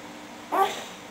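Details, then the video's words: English Bulldog asleep, snoring in a way that sounds like laughing: one short squeaky, tonal snort rising then falling, about a tenth of a second long, over a quiet steady hum. "English Bulldog Snoring"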